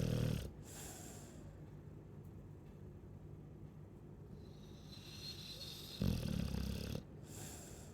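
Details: Snoring Chow Chow: a short low rasping snore at the start, a soft hissy stretch, then another gruff snore near the end, with quiet breathing between.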